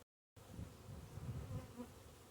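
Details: Honey bees living underneath a bee hive: after a brief silence, a dense low buzzing hum sets in and holds steady, swelling slightly in places, with layered droning tones.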